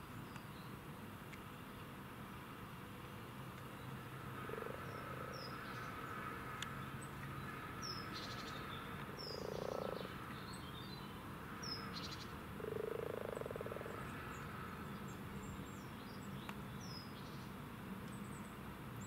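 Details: Spring chorus of wild common frogs at a Cambridge, UK breeding site on 8 March 2019, morning: three soft purring croaks spaced a few seconds apart, over a steady background hum with scattered birdsong.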